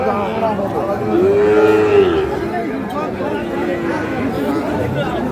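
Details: At Ambari market in Parbatipur, Dinajpur, held Fridays and Mondays, a Sahiwal bull calf lets out a single smooth, arched moo lasting about a second, surrounded by men haggling and general market hubbub.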